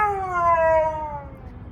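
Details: Siberian Husky, a pet dog apparently complaining at the weather, gives a short tonal howl with bright harmonics that slowly sag in pitch over under two seconds, a woman talking nearby.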